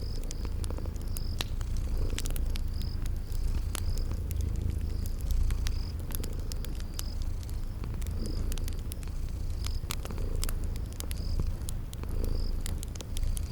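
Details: Sleeping kitties purring in a steady low rumble that swells roughly every two seconds, mixed with sharp crackles of a fireplace and a repeated high cricket-like chirp in a spring garden ambience.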